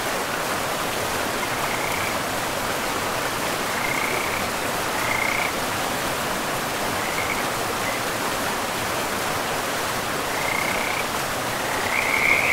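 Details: In a pristine forest by a river, scattered frog calls sound as brief high chirps spaced a second or more apart. A thick, steady roar of rushing water stays prominent throughout.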